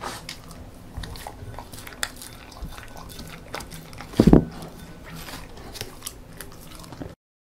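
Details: Beagle female named 송뭉이, born December 2016, eating homemade banana porridge indoors; soft wet chewing and licking clicks through most of the clip, with one louder crunching burst near the middle.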